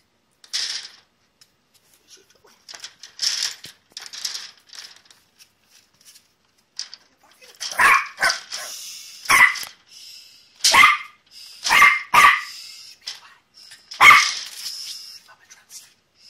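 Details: West Highland White Terrier at a kennel, playing and discovering the outside world; sharp high barks in bursts, sparse early then a run of loud yaps from eight seconds on, with faint rustling between.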